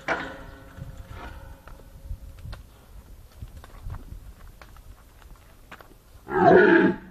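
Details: Red deer at Stara Zagora Zoo, recorded 20 September 2011: a faint harmonic bellow opens, then after a quiet stretch of scattered clicks one short, loud, rough roar bursts out near the end.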